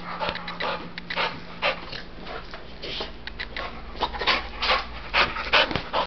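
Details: One-year-old male Pit Bull Terrier at an adoption shelter, described as depressed there; quick breathy panting bursts, about two per second and somewhat irregular, with steady low background hum.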